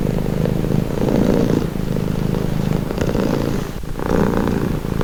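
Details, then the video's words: Relaxing purr from a domestic cat: a deep vibrating rumble pulsing with each breath, slightly louder bursts around each inhale, steady and close. "Purring cat | Calming Relaxing Nature Sound"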